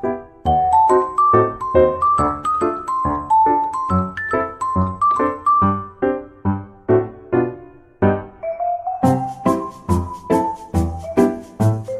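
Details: Bright piano and chime-like music bounces through a repeated melody with steady plucked notes and no animal sounds.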